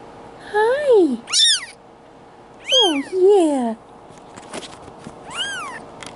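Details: Two-week-old male Bengal kitten, Boy2, from a July 2016 litter in Madison, Wisconsin, giving high, arching meows in quick bursts, some rising then falling, while a person softly greets it with background music.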